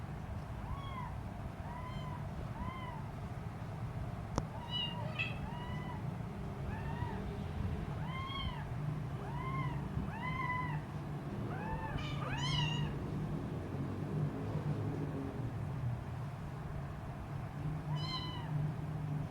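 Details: A hungry three-week-old Siamese kitten with blue eyes gives a string of thin, high, arched meows, calling out in hunger and teasing her mother cat.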